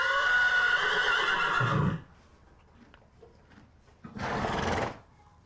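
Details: Horse giving a long, loud, quavering whinny lasting about two seconds, then a quiet pause with small rustles, followed by a short, breathy snort.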